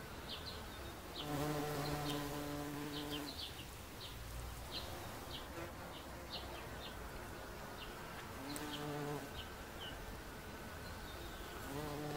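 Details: A bumblebee on an oxeye daisy gives a low, droning buzz that comes and goes against high bird chirps.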